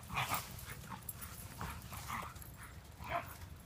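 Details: Two Standard Poodles, Gaby at 6 months and Count at about 6 years, fighting in a woodland clearing in Louisville, Kentucky, caught on an iPhone in a pocket: rough, broadband growling bursts and short yips come in irregular clusters, with some rustling.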